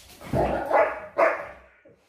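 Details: Belgian Malinois, described as aggressive, giving two loud harsh barks about half a second apart, the second fading into a short low trailing sound.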